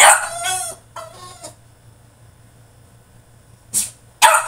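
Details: Caged French Bulldog in a tantrum, giving a long strained yowl followed by a shorter whining bark, a quiet pause, then two sharp noisy bursts near the end over a faint steady hum.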